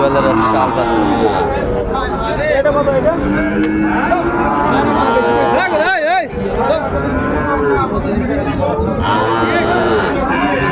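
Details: Lowing from Sahiwal bull calves being sold at Ambari market near Chattogram, 31 January 2025; several long, wavering moos overlap amid dense market babble and nearby men talking.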